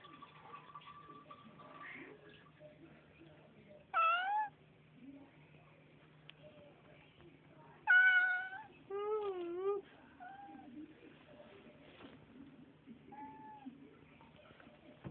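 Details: Several pet house cats greeted by their owner indoors, including Lucy and Evie, answer with loud, wavering meows: a bright one near four seconds, then a longer rising and falling pair around eight to ten seconds, with softer mews after and a person's greetings.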